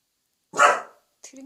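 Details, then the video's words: Welsh Corgi pet, bolder at barking when family is around and being taught to bark softly: a single loud, harsh bark, then a woman's voice briefly speaking. "웰시코기(Welsh corgi) 코코야 조금만 작게 짖어봐.."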